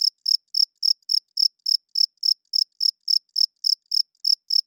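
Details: Cricket chirping at night, the male's wings rubbed together to attract females and hold territory: about sixteen short, shrill, high-pitched pulses in under five seconds, roughly three per second, evenly spaced against a silent background.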